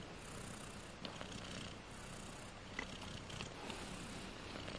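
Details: Four British Shorthair kittens, 18 days old, purring softly indoors: a steady, low, rough rumble with quick pulsing that runs throughout, joined by faint scattered clicks and light rustling.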